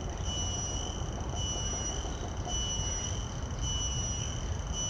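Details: A common cicada's call captured by shotgun microphones (Sennheiser 416 and Deity S Mic-2) on a Zoom F3 field recorder: a piercing steady whine with faint pulsing about once a second, above low-frequency background rumble.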